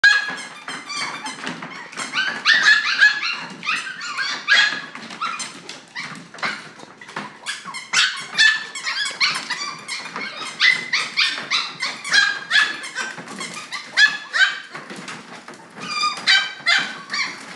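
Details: Red and chocolate Toy Poodle puppies indoors in a small room, a busy mix of high-pitched yips, squeaky whines and short barks overlapping almost continuously, several pups calling at once.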